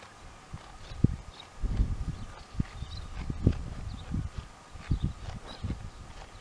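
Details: Two dromedaries, Jamahl and Laila, calmly chewing the cud: soft, low, muffled crunches and grinding thumps repeat irregularly, roughly every half second to second, with a faint steady hum in the background.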